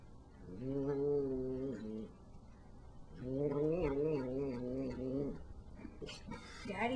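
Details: Pet cat enjoying icing produces two drawn-out, quavering hums, each lasting over a second with a pause between, while a person talks to her in a small room.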